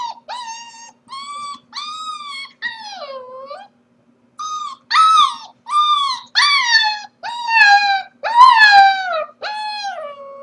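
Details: Corgi puppy left alone at home while its owners are at work, giving a series of tonal, harmonic whining howls, each about half a second long, arching or falling in pitch, repeated roughly every second with a short pause midway.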